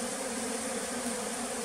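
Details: Bee farm in the flooded Tonle Sap Lake forest, Cambodia, with bees giving a constant, loud droning buzz for the whole short stretch.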